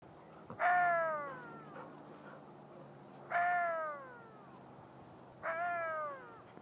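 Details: A wild Syrian jackal, heard on a morning walk, gives short, rich wailing howls that swell and then slide downward, about every two seconds.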